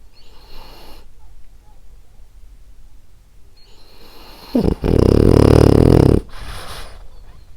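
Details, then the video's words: Female French Bulldog Ariva sleeping and snoring: soft, faint breathing for several seconds, then one loud, rasping, buzzy snore lasting about a second and a half, followed by quieter breathing again indoors. "Cute Snoring French Bulldog"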